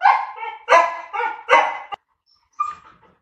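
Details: A dog, either a Labrador or a Teddy, during a patience contest between the two. Four loud, harmonic, slightly yelping barks come in quick succession, about half a second apart. A sharp click follows, then a brief pause and one short whine.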